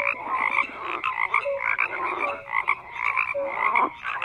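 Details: Croaking frogs in a thick chorus, rough pulsed calls overlapping with short whistled notes, swelling roughly every half second.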